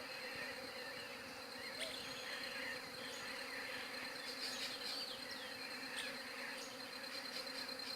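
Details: Bees humming in an unbroken, even drone, phone-recorded on a Galaxy J7 Prime 2, while busy bird chatter rises and falls above it.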